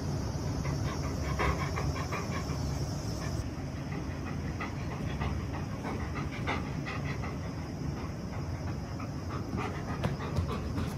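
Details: Two Great Pyrenees, RunRun (female, born 2011) and Alain (male, born 2014), romp boisterously indoors during rainy weather. Rapid, rhythmic panting bursts repeat over scuffling and thumping, with a steady low rumble underneath.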